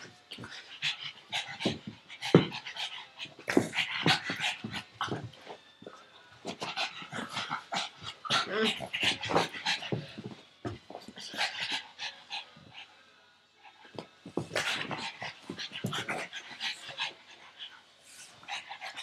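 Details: Pet pug playing, chasing a tug toy held by its owner and flipping over, panting hard in quick, raspy, breathy bursts that come in uneven runs with short pauses, plus scuffling play noises.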